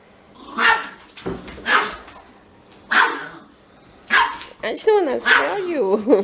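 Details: A Siberian Husky prevented from smelling a Pomeranian gives four clipped yelping cries about a second apart, then a wavering, rising-and-falling whine near the end; a person's voice mixes in.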